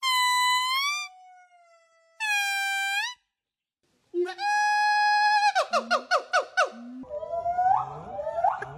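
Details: Several different monkeys calling in quick succession: loud, nasal squeals holding steady pitch, a long drawn tone, a fast run of pulsed yelping notes, then rougher, noisier cries, with abrupt cuts and short silences between sections.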